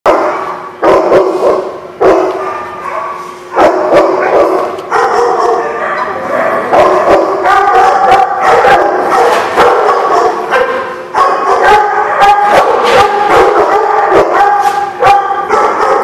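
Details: Dogs barking on 27 May 2016, a dense run of sharp, overlapping barks and yips with hardly a pause, several voices firing off in quick bursts at a loud, steady level throughout.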